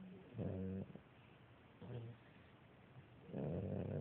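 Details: Beagle puppy sound asleep lying on its mother, snoring softly: three low, rattling breaths with banded harmonics, each lasting under a second, separated by quiet pauses.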